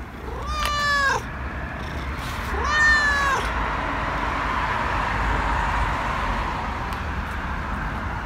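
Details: Tabby stray cat giving two drawn-out, harmonic meows about two seconds apart, each rising at the start and then holding steady; a steady low rumble and hiss of background noise continues afterward.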